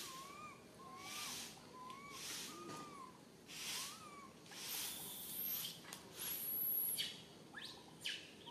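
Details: Baby monkey Santos stranded alone up a high tree, calling for its mother: a run of five thin, arched whistled cries in four seconds, then the calls stop and only loud rustling, wind-like noise bursts continue.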